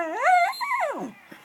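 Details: Norfolk terrier making weird noises: one loud, drawn-out tonal whine rising then falling in a curving, yodel-like arc over about one second, ending with a brief soft sound.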